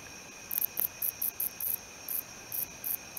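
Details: Wingless meadow katydid (Odontoxiphidium apterum), a male stridulating: very high, dry buzzy pulses in short bursts, roughly three to four per second, irregularly spaced against a low steady background hum.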